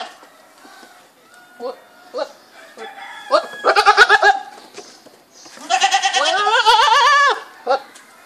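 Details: Goat bleating: a few soft short calls first, then a loud trembling bleat, and finally a long, strongly quavering bleat of over a second with a pitch that wobbles up and down; faint background murmur.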